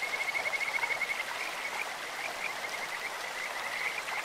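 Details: Kajika frog calling in a clear stream, its voice as sweet as a bird's or insect's: a rapid, steady run of high pulsed notes trills through the whole stretch, strongest in the first second, over constant rushing water.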